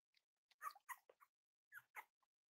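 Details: Cavalier King Charles Spaniel puppies exploring and playing together indoors, a string of brief high yips and whines in two clusters separated by a short silence.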